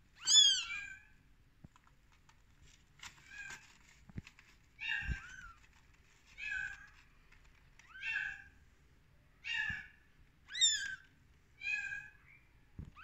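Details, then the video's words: Rescued baby kittens on day 13 mewing in thin, high, rising-falling cries, about eight short calls spread across the stretch with brief pauses between, some soft taps in the background. "Baby kittens in day 13"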